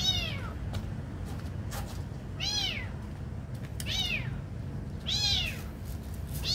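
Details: Kitten receiving food gives short, arched, high-pitched meows about every 1.2 seconds, with scattered clicks and taps between calls over a faint indoor hum.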